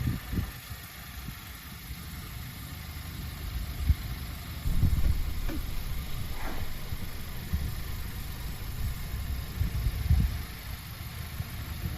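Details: A vehicle engine idles with a low, continuous rumble throughout, and occasional faint knocks rise above it.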